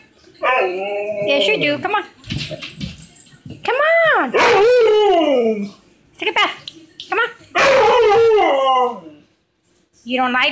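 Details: Husky howling indoors: several long arched howls that rise and then fall, with quieter broken yips between them and a person speaking afterward.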